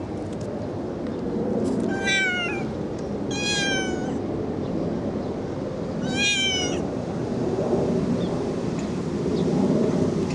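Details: Kitten meowing pretty loud: three drawn-out, slightly falling, strongly harmonic meows at irregular intervals over a steady low background rumble.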